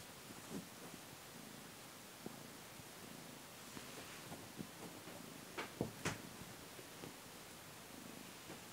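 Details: A pet cat purring during play. A low, steady rumbling throb pulses continuously under a hissy background, broken by a few sharp clicks and knocks around the middle.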